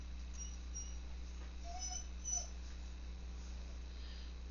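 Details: Golden retriever named Murphy whining indoors in the background while it rains and storms outside, a dog that dislikes storms; a few soft, brief whines rise above a steady low electrical hum.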